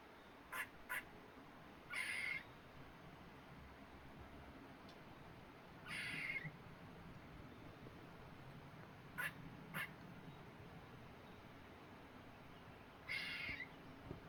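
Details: A baby squirrel on a tree gives short, harsh, raspy bursts a few seconds apart, with brief sharp clicks between.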